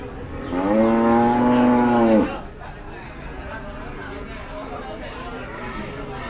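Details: At Kediri's Kliwonan cattle market in East Java, a single cow gives one strong, even moo lasting under two seconds, then it stops abruptly into a background of crowd chatter and market bustle.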